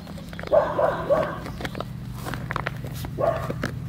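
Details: Kooikerhondje puppies of the G litter at eight weeks old let out a quick run of three high yaps, then a pause with soft clicks and knocks, then another short yap, with a low hum beneath.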